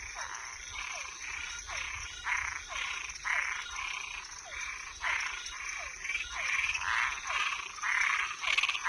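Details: Night chorus of toads and tree frogs: buzzy, rasping croaks about two per second, each trailed by a faint downward-sliding note, rising in loudness toward the end, with a constant thin high whine behind.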